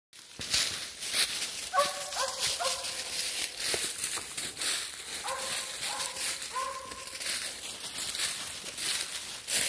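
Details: Mountain Curs outdoors during a pup training session at a tree, with the pups worn out. Two short bursts of harmonic, yelping barks, several in quick succession, with a man's voice and rustling around them.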